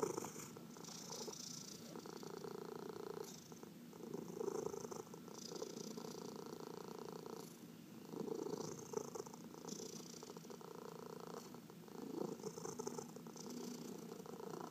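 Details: Massaged pet cat purring steadily in a quiet room, a low buzzing rumble in breath-long waves, mixed with repeated brushing strokes of hands over fur.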